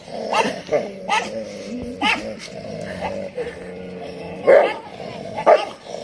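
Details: Street dogs fighting in the rainy season bark sharply in irregular bursts, with growly harmonic yelps between them.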